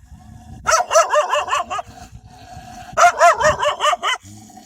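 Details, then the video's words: Several wild dogs fiercely defend their pups with loud, frightening barking: two quick bursts of about six sharp, harmonic barks each, separated by a short lull of low background noise. "كلاب برّية تدافع عن صغارها بصوت نباح قوي ومرعب!"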